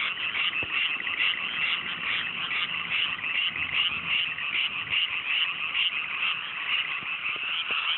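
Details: Dense frog chorus on a fine night in cool mountain rice paddies freshly planted, Japan countryside: continuous overlapping croaks in a high band, steady and unbroken, with faint low clicks beneath.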